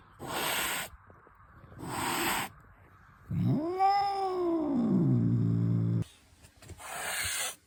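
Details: House cat enraged at its owner: two sharp breathy hisses, then a long low growling yowl that rises and sinks over nearly three seconds, ending in another harsh hiss.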